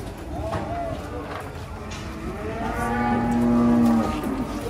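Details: Huge cow, restless while coming down off a truck in Indonesia. One drawn-out moo bends upward, then holds steady and swells louder toward the end. Faint voices and a low rumble sit behind it.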